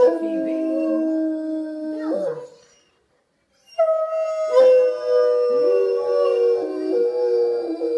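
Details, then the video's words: Three Otterhounds named Bella, Phoebe and Ozzy, grand-prize winners of a howling contest, howl together: long sustained tones that slide downward, then break off into a brief silence before a fresh chorus of layered, wavering howls resumes. "Blue Fairy Otterhounds | BLUE Wilderness Howl Off"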